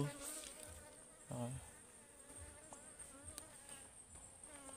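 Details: Swarming wild honeybees at a forest hive opened for honey beside a stream; a sustained wavering buzz with harmonic overtones, broken by brief louder thumps and rustles of handling.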